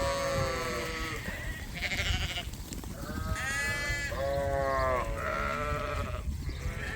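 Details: Farm sheep being let out to graze before nightfall, early June: several overlapping wavering bleats, some high and some lower, come in quick succession with brief gaps, over low rumbling background noise.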